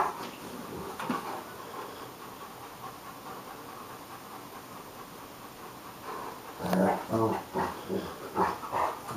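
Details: Romanian Mioritic Hagi wrestling playfully with South Russian Ovcharka Nijinsky; after soft huffing, a rumbling growl breaks out and repeats in short rough bursts, mixed with heavy breaths.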